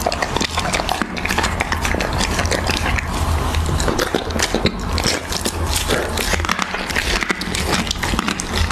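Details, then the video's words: Raw beef being eaten by a Siberian Husky: sharp crackling bites and moist mouth smacks repeating several times a second, with a constant low background hum. "Husky ASMR | Mukbang eating raw beef"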